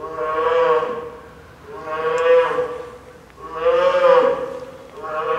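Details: Lila, a nine-month-old female polar bear cub at Maruyama Zoo in Sapporo, Hokkaido, cries loudly before lunchtime on a stormy typhoon morning, 2 October 2015; three long, moaning, harmonic wails, one roughly every two seconds.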